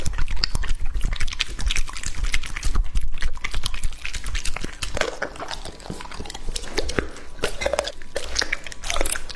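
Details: Lucky, a male English Labrador Retriever of two and a half years, chews raw meat up close. Heavy biting and crunching, roughly two bites a second, with wet smacks and a low rumble beneath.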